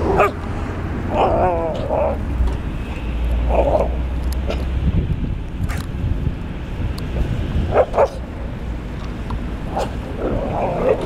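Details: Street dogs in New Belgrade at play: a roughly two-year-old Šarplaninac mix, a mature male and three puppies under a year old, one male and two females. Short yelping barks and whines come in scattered bursts, one wavering yelp early on, over steady traffic rumble.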